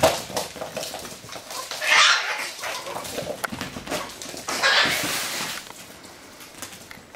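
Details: Russian Toy puppies at play, two bright, high, noisy yelping bursts near two and five seconds, separated by soft scuffling and faint rustling, fading toward the end.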